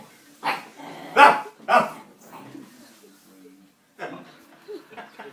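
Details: Puppy at play, giving three short, sharp barks in quick succession, then softer, scattered yips, with quiet room sound between.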